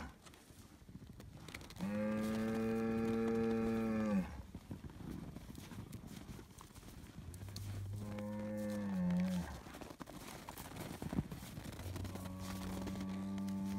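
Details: Highland cattle bull in Finland, being given bread, bellows three times: a long, loud moo of about two seconds, a shorter wavering one that drops at the end, and a steady closing low.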